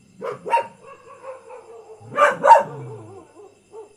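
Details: Ordinary village dog barking, two quick barks, a pause with faint whining tones, then a louder double bark and a trailing whine.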